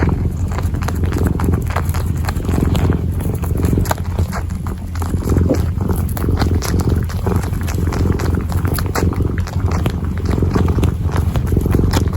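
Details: Kneading kitten heard up close, its low droning purr steady underneath a busy stream of sharp clicks and scratches from paws pressing and pulling at fabric.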